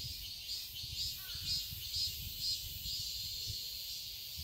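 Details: In a Seoul garden in summer, cicadas hold a loud, high buzzing chorus that throbs roughly twice each second; a brief faint chirp and low background rumble also show.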